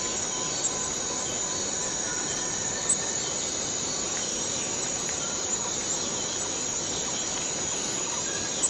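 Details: Cicada in the Borneo rainforest, a dense, steady high-pitched hiss that holds unbroken throughout, with a bright band near the top of the range.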